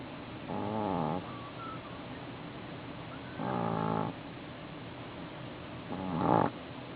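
A Boston Terrier snores in slow, rasping bursts about every two and a half seconds.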